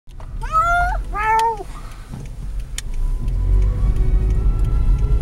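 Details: Cat meowing while being taken on a car ride: two drawn-out, wavering meows in quick succession, then only the low rumble of the moving car.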